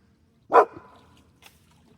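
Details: Smudge the dog barking at something down a creek, perhaps a wallaby or a deer, high in the mountains at a prospecting patch; one loud, sharp bark, then a faint second yelp and quiet surroundings.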